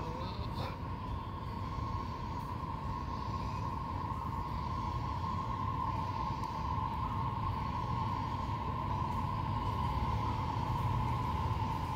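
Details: Rumbling vehicle and train noise with a steady mid-pitched hum and faint voices, no animal calls.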